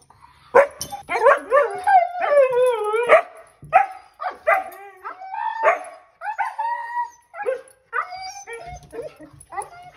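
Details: Siberian Huskies Kovu and Luna, excited at the sight of their harnesses before a trip to the dog park, give rising and falling harmonic howls and yips, some long wavering notes, others short and overlapping, with brief pauses between bursts.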